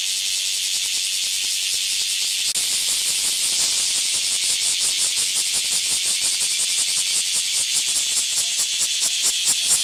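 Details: Bear cicadas singing in high summer, a seasonal cicada chorus: loud, dense, hissing buzz filling the upper register, steady at first, then breaking into rapid, evenly pulsed throbbing from about four seconds on, growing more pronounced toward the end.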